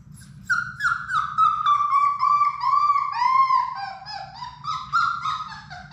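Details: Labrador Retriever puppies, a litter of six, playing in a puppy room: a loud, drawn-out series of tonal whines, each note falling slightly, joined into a wavering chain, with a quiet low hum underneath.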